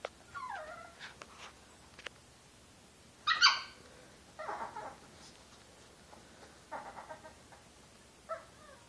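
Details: Playful year-old Chihuahua Josie talking while pouncing at a hand moving under her bed; bending whiny yips, one sharp bark-like yelp, and several short harmonic grumbles in quick succession.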